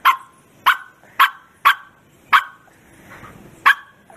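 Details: Bearded Collie dog letting out forceful barks: six punchy, harsh barks at irregular intervals of about half a second to a second. A softer rustle is heard between the fifth and sixth bark.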